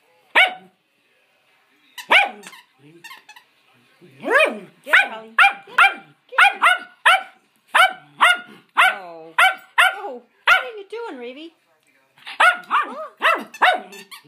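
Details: Three adopted schnauzers named Raven, Holly and Nelson play together while barking: a long run of sharp, high barks coming quickly in clusters, some doubled, with brief gaps.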